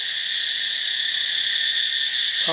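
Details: Daytime katydid racket in Thailand near a beach: an intense, steady, sizzling high buzz with a rapid throb, holding constant throughout, with a man's voice just starting at the very end.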